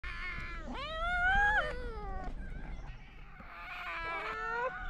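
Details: Stray cats in Morocco meowing at the person who feeds them, gentle greeting meows: long drawn, rising then falling meows with rich harmonics, several overlapping, and a man calling to them.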